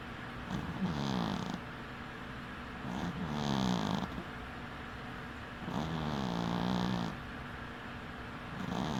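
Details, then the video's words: Sleeping cat with one eye open, snoring in a steady rhythm: four rough, fluttering snores roughly every two and a half seconds, each a low rattling drone with a hissy edge, separated by softer breaths. "Snoring cat"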